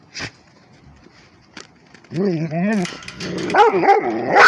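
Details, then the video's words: Rhodesian Ridgeback barking at a tablet: after a quiet start with a brief voice, a run of quick wavering yelps and arched howl-barks builds to loud, rough barking at the end. "Rhodesian ridgeback barking at the tablet"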